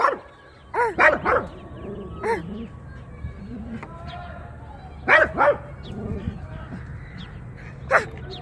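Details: Dog Jiraiya barking in short bursts: sharp paired barks, then single ones, spread unevenly over several seconds, with softer low sounds and faint voices in between.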